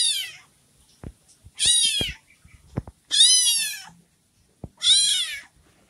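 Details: Orange kitten left behind by its mother, calling in a room with four loud, high, wavering meows, each about half a second long and spaced roughly every one and a half seconds, with light clicks and handling noises between them.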